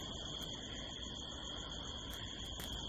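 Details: Crickets singing at night in the California desert hills under a harvest moon, from a rooftop: a constant high ringing trill without pauses, steady in pitch, with low background rumble and a brief click near the end.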